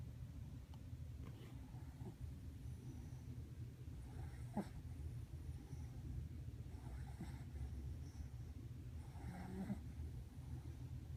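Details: French bulldog puppy snoring: a steady low rumbling, raspy breathing that continues without a break, with faint clicks and soft snorts.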